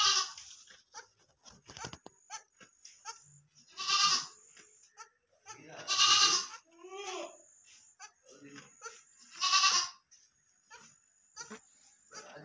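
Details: Goat kid during feeding, bleating repeatedly: strong nasal calls at about four, six and nine and a half seconds, plus a shorter one at the start. People talk in between, with clicks and rustling.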